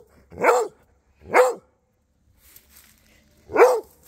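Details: Rhodesian Ridgeback exchanging barks with neighbouring dogs: three strong, evenly shaped barks about one second apart, then a pause before the last, with quiet background between.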